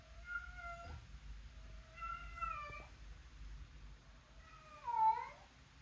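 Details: Talking pet cat taking her own toy out, indoors: three clear tonal meows, drawn-out and gently falling, with a final louder one that bends sharply down at the end; quiet low hum beneath.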